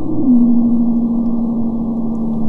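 A Madagascar pygmy blue whale call, sped up: a steady low hum that dips slightly and holds level.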